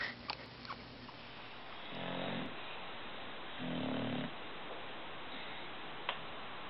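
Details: British Bulldog indoors: two low, rasping, snore-like snorts, one near two seconds and another near four seconds, each lasting about half a second, with quiet room hiss between and a single sharp click near the end.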